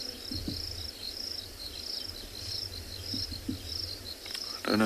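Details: Many crickets calling after rain under overcast skies at Tswalu Kalahari Reserve, South Africa; continuous high pulsed chirps in short bursts, with low knocks and a brief noisy rustle at the end.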